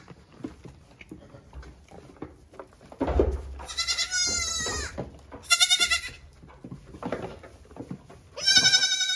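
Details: Hungry goat kids calling loudly in the morning while their mother is on the milking stand and being brought to nurse two at a time; loud, wavering, harmonic bleats in three bursts, with rustling and a thump.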